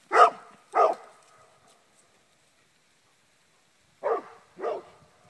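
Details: At home during play, an English Springer Spaniel bred in Connecticut gives two quick barks, falls silent for about three seconds, then repeats another pair of short, punchy barks.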